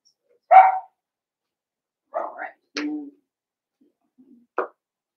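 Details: Seven-week-old blenheim Cavalier King Charles Spaniel puppies from a litter of five born at New Year's, in an indoor puppy pen: one sharp high yip, then after a pause two softer barks and a short final yelp.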